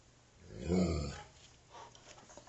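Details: Alaskan Malamute, a five-week-old female pup playing with her father: one low, harmonic growling grumble about half a second long, swelling and then fading, in a quiet indoor room with a steady low hum.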